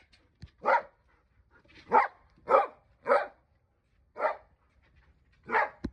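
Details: Akita dog indoors giving six short, sharp barks spaced irregularly about a second apart, each bark clipped and mid-pitched, with quiet pauses between them.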